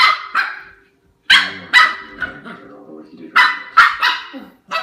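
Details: A male Shiba Inu puppy guarding his bone rumbles with short, high, yapping growls in bursts, with television speech in the background.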